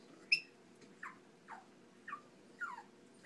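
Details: Chihuahua giving a run of short, high whimpering whines, each sliding downward, spaced roughly half a second apart, with one sharper squeak near the start, against a quiet indoor background.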